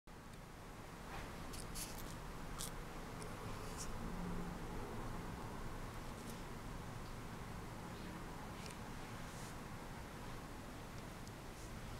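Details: Quiet indoor room hiss with soft rustles and light tapping; no animal vocalizations.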